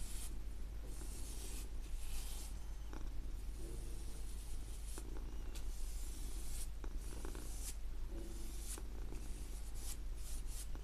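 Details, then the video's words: Domestic cat purring as a steady, deep, continuous rumble under repeated soft swishing brush strokes on paper, with brief brighter scratches between strokes. "Cat Purring"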